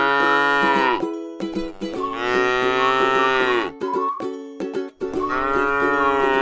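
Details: Tame cow eating grass in a rice field gives three long, deep harmonic moos, each around a second or more, separated by short pauses, over steady tonal background sounds.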